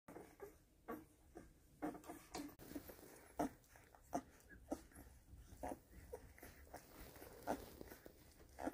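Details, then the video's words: Week-old Weimaraner puppies nursing indoors, giving soft brief squeaks and whimpers scattered irregularly among quiet suckling and rustling, with low background hum in a small room. "Hungry Hungry Pups"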